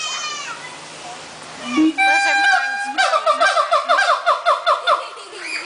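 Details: At the Central Florida Zoo a siamang sings: after a soft opening hoot comes a loud yelp, then a rapid, regular series of bouncing whoops, about two or three a second, building in intensity through the end.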